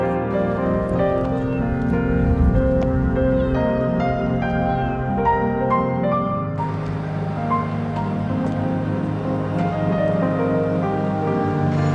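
Soft ambient music with sustained tones and gentle piano plays throughout, with no animal sound.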